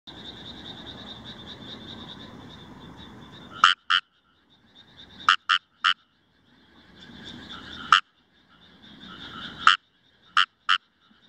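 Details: Indian rice frogs calling in Himeji, Hyogo, Japan, on 1 July 2018, recorded with a compact camera: a continuous rasping, pulsed chorus for nearly four seconds, then loud short croaks in quick pairs and triplets with brief pauses between.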